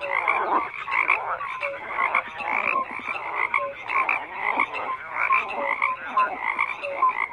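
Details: Dense overlapping frog croaks repeat in quick rhythmic bursts, with short whistle-like notes threaded through the rasping chorus.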